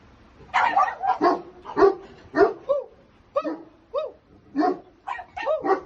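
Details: Puppies for sale in India yap in short, high barks about twice a second, uneven in spacing, some ending in a quick rising yip.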